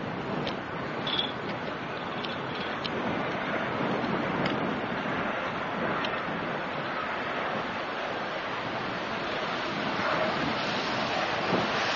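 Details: Constant broadband rushing noise like wind or surf fills the recording, with no animal voice present.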